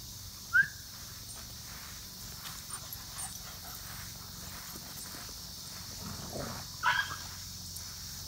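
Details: Samson, a five-month-old German Shepherd puppy, cries out after getting hurt: two short, sharp, high yelps about six seconds apart, with faint rustling and steady outdoor hiss between them.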